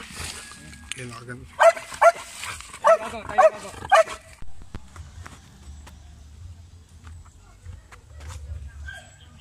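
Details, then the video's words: Belgian Malinois in urban search and rescue training on rubble, giving aggressive indications: a burst of about five loud, sharp barks in quick succession, then quieter thuds and rustling; a human voice is heard early on. "Belgian Malinois Urban Search and Rescue Canine Training on Rubles with Aggressive Indications"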